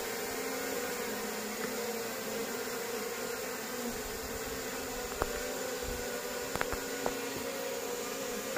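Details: Steady hum of wild honey bees at a natural honey harvest on a small farm plot, the drone unbroken and level, with a few scattered clicks and taps partway through.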